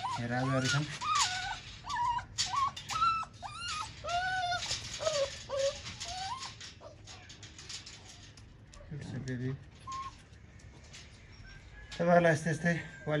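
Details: A Siberian Husky in Nepal whines in a steady series of short, high, flat-topped and bending tones for about seven seconds. Human talking follows, with the dog quieter and only faint later.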